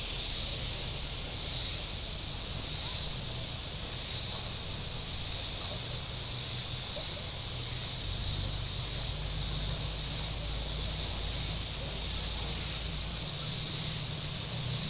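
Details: Cicadas along the shore of Table Rock Lake in southern Missouri on a very warm Saturday: a loud, high rasping buzz surging in regular pulses about every 1.2 seconds, a dozen swells in a row, with a low boat-engine hum beneath.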